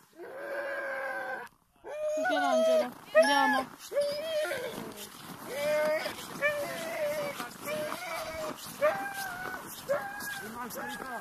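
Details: Siberian Huskies at a husky farm near Rovaniemi in Finnish Lapland. Many dogs give repeated short, wavering howls and yelps, each rising then bending down. They keep going for about eleven seconds against a steady background hubbub.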